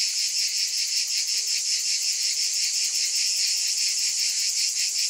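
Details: Massed cicadas give a sizzling high-pitched drone that swells and dips in quick regular beats without pause.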